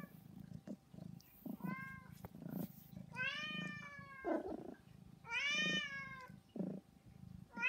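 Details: Repeated pleading meows from a trio of house cats, Saba, Hana and Mizore, who call noisily every day. Several meows come in close succession, including two long, strongly harmonic wails, with soft indoor thumps between them.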